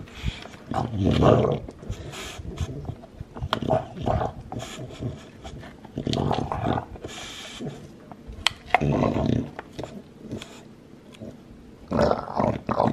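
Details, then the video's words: Olde English Bulldogge, male, two years old, lilac tri, chewing his bone; bursts of gnawing and low grumbles come roughly every two to three seconds, with sharp clicking bites in between. "BULLDOG ENJOYING HIS BONE | SATISFYING SOUND | OLDE ENGLISH BULLDOG"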